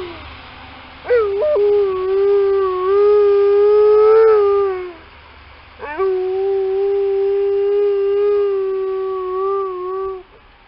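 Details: Howling Alaskan Malamute answering a passing ambulance during a snowy morning walk in December: two long, drawn-out, rich harmonic howls of about four seconds each, slightly wavering in pitch, separated by a short breath.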